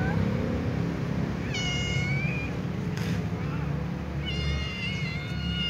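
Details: Ginger tom cat meowing because it is drawn to a white female cat; two drawn-out harmonic meows, the first rising then levelling, the second longer and wavering, over steady low background rumble.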